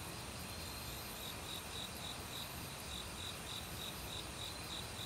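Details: Autumn crickets calling in a forest beside a mountain stream, with other insects: short high chirps repeat steadily about three times a second through the whole stretch over a constant rushing wash of flowing water.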